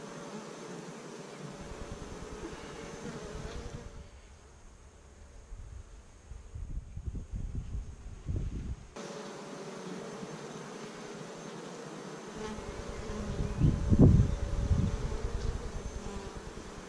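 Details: Honey bee colony kept by a beekeeper, week five after starting with 15,000 bees in May 2017, filmed on GoPro cameras; a steady low humming drone with abrupt level shifts, a quieter stretch midway, then a louder buzzing surge near the end.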